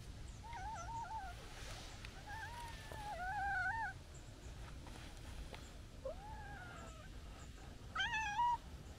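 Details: A stray calico cat coming over happily to greet gives a run of warbling, wavering meows and chirpy trills.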